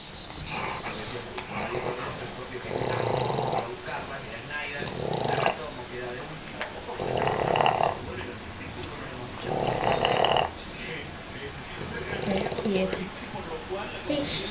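Loud, rattling snores from an English Bulldog come in steady breaths roughly every two seconds, each a rough, buzzy rush of air. Soft human speech murmurs in between.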